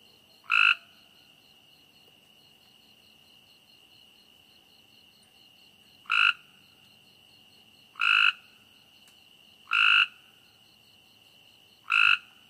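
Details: A frog croaks at night, giving five short, loud, rasping calls, first a lone call, then a long pause and four more roughly two seconds apart, while a constant shrill insect drone and soft rhythmic chirping continue behind.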